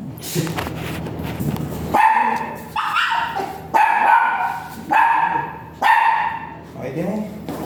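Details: Dog barking at a veterinary clinic during a stud breeding session with a virgin dam and sire; a run of five sharp, ringing barks roughly once a second, with human speech at the start.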